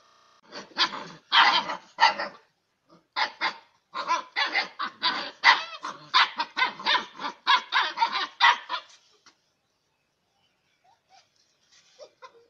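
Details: Six-week-old Bhote kukur (Bhotia dog) puppies barking at each other while playing: bursts of sharp, high yapping barks, rapid and uneven, packed from one to nine seconds, then near silence with a few faint yips at the end.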